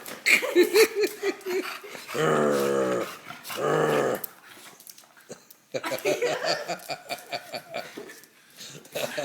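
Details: Three-year-old English Bulldog growling in long, low, rough bursts while wrestling with a boy at home. A person urges him on with excited speech between the growls and laughs.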